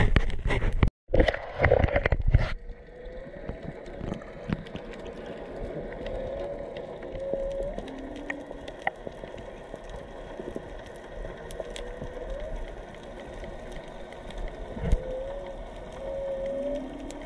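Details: Whales, three or four animals, singing underwater off Onna village, Okinawa, recorded while snorkelling among sea turtles; tonal moans rise and sweep upward, repeating every few seconds over crackling, snapping reef noise, after loud splashing at the start.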